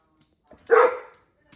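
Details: Female pet dog asking for a treat gives a single short, sharp bark, with quiet sounds just before and after.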